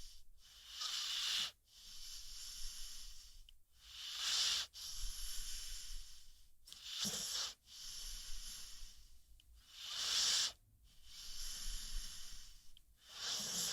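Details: Rocky the American Pit Bull Terrier, asleep, breathes out in steady rhythmic wheezes, breathy airy rushes recurring roughly every three seconds, a few carrying a soft low snort at their start.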